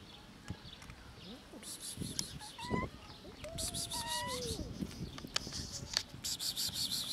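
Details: Hungry cats encountered outdoors, meowing from hunger: short rising meows followed by a longer wavering, falling meow, amid scattered clicks, rustling and bursts of high buzzy insect noise.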